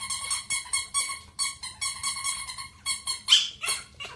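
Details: High-pitched squeaky whimpering from Boo, a Pomeranian: a steady series of short, nasal, strongly harmonic cries roughly every half second, ending in one sharper, noisier yelp.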